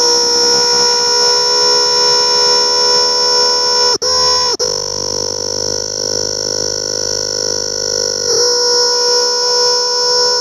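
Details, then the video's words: Close-up recording of a cicada's loud, steady, electric buzz, held almost without break and briefly cut off once. "Cicada's sound closeup"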